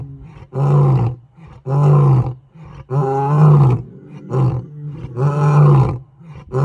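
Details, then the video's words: Deep, powerful roars from male lions challenging into the African night on the savannah, heavy rumbling bursts repeated roughly every second with short breaths between them. "Gijima males roar into the night"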